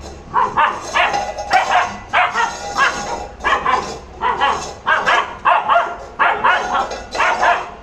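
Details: Labrador Retriever barking during angry play, a pet dog giving short, loud, harmonic barks in quick irregular bursts, roughly one to two per second, with little background noise.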